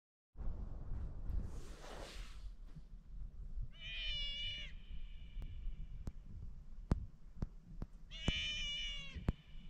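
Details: Sea otter in Little Waterfall Bay, Afognak, Alaska, one of a pair in a kelp patch, screaming at an anchored boat while circling it. Two high, harmonic wailing screams come a few seconds apart over low wind and water rumble.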